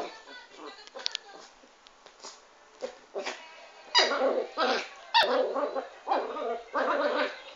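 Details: Chanel, a dwarf Pomeranian kept as a pet, barks in quick yappy bursts through the second half, about every half second to second. A steady background hum runs underneath, and a person talks in Italian.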